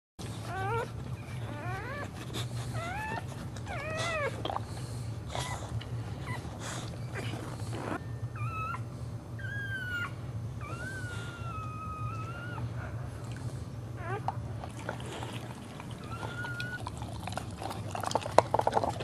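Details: Newborn Boxer puppies during birth give high, thin whines and squeaks that rise and fall, some short and repeated, others drawn out and wavering, over a steady low indoor hum.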